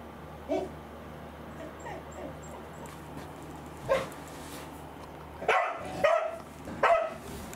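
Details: Corgi Angela, a pet dog indoors, whose appetite is lost to anticancer drug side effects, gives a few short barks late in the recording after quiet stretches, with faint background hum and brief human speech earlier.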